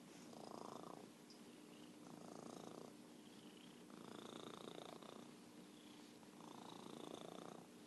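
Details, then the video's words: Orange tabby cat Merlin, called a champion purrer, gives a rhythmic rumbling purr in four swelling bursts roughly every two seconds, each lasting about a second, over a faint constant low hum. "Virtual Purring Cat"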